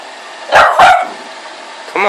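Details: Boston Terrier and Pug mix dog, a Bug, during play over a toy: two sharp yappy barks in quick succession, then a short whine-like call, with low background noise.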